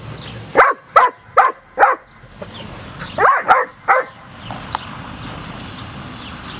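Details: After a training session, German Shepherd puppies named Kacee, Luger and Zelda bark in a rapid run of four sharp yaps, a short pause, then three more, fading into low outdoor ambience.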